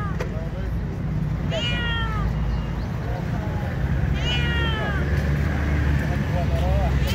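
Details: Stray homeless cats meowing in hunger while searching for food; three plaintive descending meows spaced about two and a half seconds apart against continuous low-pitched background rumble.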